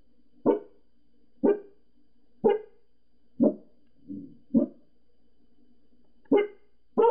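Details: Pembroke Welsh Corgi reacting to people next door with loud single barks about once a second, one softer muffled bark mid-sequence and a pause before two final barks; faint hum behind.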